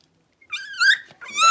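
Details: A blenheim Cavalier King Charles Spaniel puppy from a New Year litter of five, settling into a larger pen, lets out a loud, drawn-out nasal whine that bends upward, then breaks into a second strained cry after a brief pause.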